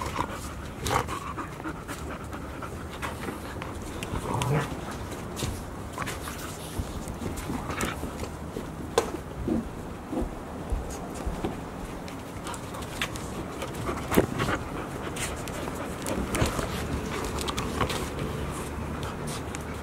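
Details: Playing Golden Retriever puppies, a litter of five aged 144 days, Ain village, recorded 15 September 2018; steady quick panting runs throughout, broken by sharp clicks and knocks of paws and toys on the floor.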